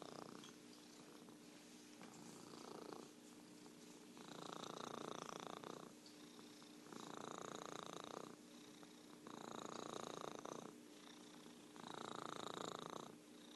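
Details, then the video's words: Orange tabby house cat named Merlin purring steadily, the buzzing vibration rising in loud bursts of about one to two seconds and dropping to quieter phases between, like breathing in and out; a low constant hum sits behind. "Virtual Purring Cat"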